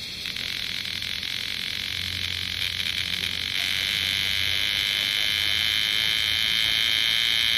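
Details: Bear cicadas in Osaka city in summer 2010 give a shrill, continuous buzzing drone that grows slightly louder. A low rumbling hum, like distant traffic, runs underneath.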